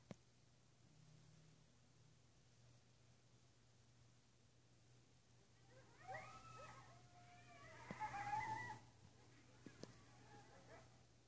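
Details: Midnight coyotes in west Travis County, heard at a distance: after a quiet stretch with a low hum, a burst of overlapping wavering howls and yips swells for about three seconds, then fades.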